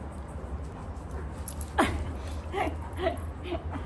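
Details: Male German Shepherd vocalizing to get its owner's attention so it can go swimming: one sharp, high, falling whine, then a few softer squeaky yelps, over a steady low hum.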